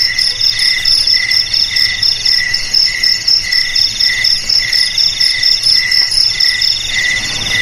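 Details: Rapid, regular cricket chirps, shrill and metallic, pulsing about twice a second over a quiet low hum.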